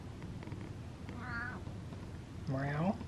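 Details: Domestic cat described as gassy, meowing indoors: a short harmonic meow near 1.3 s, then a louder, lower, strained meow around 2.6 s, with soft room noise between.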